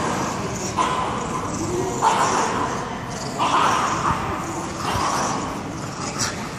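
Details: Boom, a Staffordshire Bull Terrier, playing tug with his 12-week-old daughter Zoom; short harmonic barks burst out roughly every second and a half over steady rustling noise.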